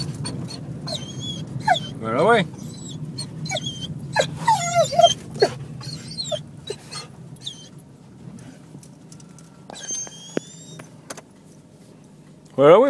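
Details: Excited dog giving a string of squeaky whimpers, short yips and rising whines, irregular and broken up by a person's chatter, with a brief thin whistle-like whine later and a loud yelp at the end.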